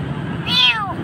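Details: Kitten found nearly dying in a dark place in Jakarta, frightened, utters one brief high meow that falls in pitch, against low background traffic noise.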